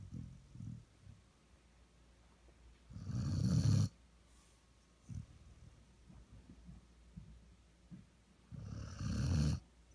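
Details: Snoring from a sleeping one-year-old Vizsla lying as a lap dog indoors; two loud, gravelly, breathy snores about five seconds apart, with faint shorter breaths between them.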